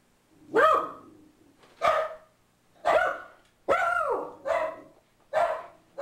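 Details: Boo Radley, a pug mix, barking when an ad man shows up at the door: six sharp, loud barks with strong harmonics, spaced irregularly about a second apart, some with a short second bark tacked on.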